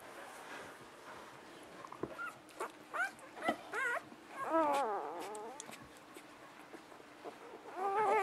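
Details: Six-day-old puppies squeal and whimper: scattered short squeaks early, then a burst of wavering, harmonic-rich whines around the middle, and a final rising squeal at the end, over a steady low background hum.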